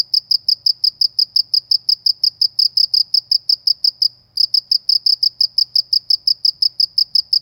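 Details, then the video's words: Countryside cricket giving a loud, regular train of sharp high chirps, roughly five each second, with one brief break midway; little else is heard beyond a faint low hum. "suara jangkrik di pedesaan"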